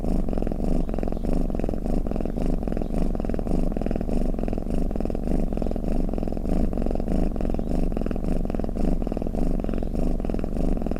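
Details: A cat snores or purrs in a continuous deep buzz. Low throbbing pulses come roughly 100 times a minute, unbroken throughout.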